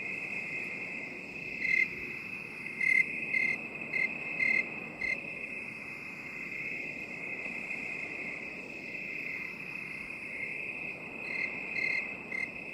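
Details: Crickets in a binaural 8D relaxation recording: a steady high ringing trill runs throughout, with a few louder pulsed chirps breaking through near the start, middle and end. No other sounds.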